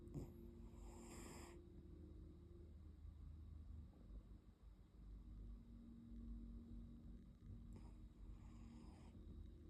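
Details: Neo, a sleeping Brazilian Terrier, snoring softly: long low rumbling breaths under a steady hum, with two brief breathy hisses about seven seconds apart.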